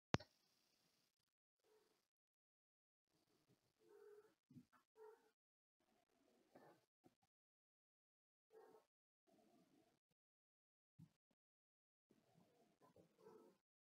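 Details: Spooky, a young hybrid stray/Manx kitten on day 36, one of a litter of six born to a befriended stray cat, gives soft, brief mews in scattered short bursts separated by silent pauses in a quiet indoor room.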